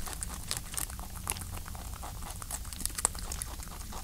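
A rabbit licks and chews with soft, wet clicks and crackles in quick, irregular bursts.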